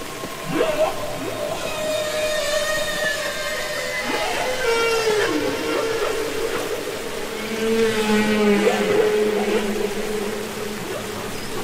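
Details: Humpback whale singing underwater, from Capitol Records ST-620: long mournful moans gliding down and holding, layered with rapid rising squeaks, wavering upper tones and a low descending groan near the end.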